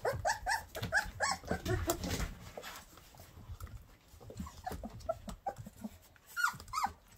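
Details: Llewellin Setter pups a little over three weeks old, playing indoors by mouthing and pawing at littermates, recorded on a December morning; short squeaky yelps and whimpers in quick bursts with low grumbling growls, over rustling and scuffling movement.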